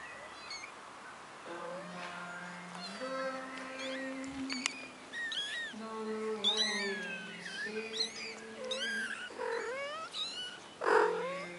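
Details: One-month-old kittens on their very first time outside give thin, high, arching mews in quick bursts, mostly in the second half, over long steady low tones and a short spoken word.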